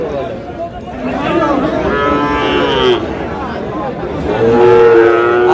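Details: Sahiwal bull calves at Aftabganj cattle market in Dinajpur, Bangladesh, early in the 8 August trading: a rising moo midway, then a steady, level bellow near the end, with men haggling over prices and crowd noise throughout.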